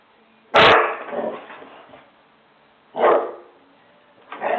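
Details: Home-alone husky with the zoomies barking loudly: three harsh barks about two seconds apart, the first sharpest, each trailing off into a rough fading tail.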